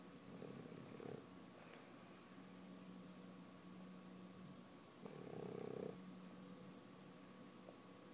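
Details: Sleeping French Bulldog puppy Hudson breathes noisily: a soft raspy snore early on, quiet wheezy breaths, then a louder rattling snore near five seconds that lasts about a second.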